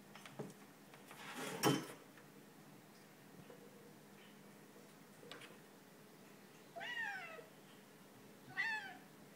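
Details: Bengal kitten named Turbo playing with an empty glass indoors; a few clattering knocks of glass early on, then two short rising-falling meows near the end, about two seconds apart.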